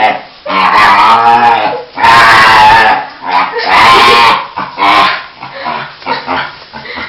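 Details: Pet dog, excited because he is about to be taken for a walk, making loud, strained, squealing wails in several long bursts separated by short pauses, with rough, screaming tones.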